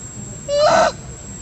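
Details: Mother monkey, named Briana & Briget, shouting loudly to call her baby Baron to come back; one short, loud, harmonic-rich cry that rises sharply, then holds steady for about half a second before cutting off, over a quiet background.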